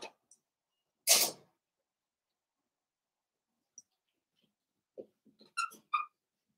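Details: Cavalier King Charles Spaniel mother plays with her five blenheim puppies, born at New Year's, in an indoor puppy pen. A sharp sneeze-like snort comes first, then after a pause a few quick high-pitched squeaky yelps.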